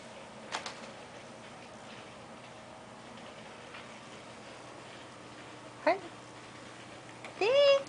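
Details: Shelter Domestic Shorthair, a neutered male aged nine, lets out a brief chirped mew and then a longer, rising meow near the end as a woman softly praises him.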